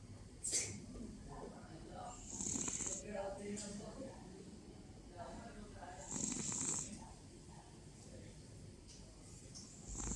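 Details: Domestic cat snoring: soft, breathy rasping breaths that swell and fade roughly every four seconds, each carrying an airy high hiss, over a low steady murmur.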